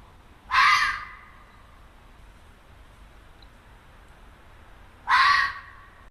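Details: A red fox gives two harsh, hoarse screams about four and a half seconds apart, like a child shrieking; heard at night or early morning in backyards in Lexington; mating scream, calling to find its mate.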